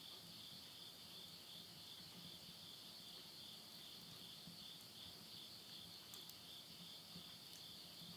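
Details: End-of-summer insects singing at midnight in Yurihama, Tottori, Japan, September 2020: unwavering high-pitched shimmering trill in two layered tones, with light crackle of burning wood in a stove.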